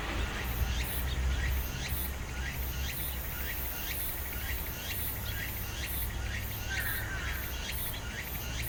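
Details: Meimuna opalifera cicada at Ozasa-kita Park, heard with pine crickets. Pulsing high-pitched buzzes come in a steady rhythm, mixed with short rising chirps and a constant low hum of environmental noise.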